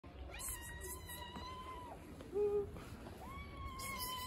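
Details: Hungry stray cat that regularly stops in front of a house, giving two long, level, drawn-out meows separated by a short pause, with a brief lower squeak between them over a quiet background hum.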